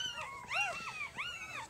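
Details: Three-day-old puppy from Jig's litter squeaking indoors: three arched, harmonic-rich squeals rising then falling, the middle one loudest, close together within under two seconds.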